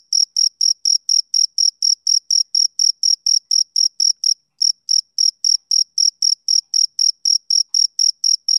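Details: Male cricket on a summer evening giving rapid, shrill chirp pulses at a brisk even rate, broken by one brief pause midway before the rhythm resumes; nothing else audible.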